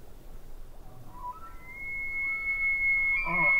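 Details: Distant elk by a lake gives a high whistled call that climbs and then holds steady near the top, growing louder toward the end, with a low rumbling background.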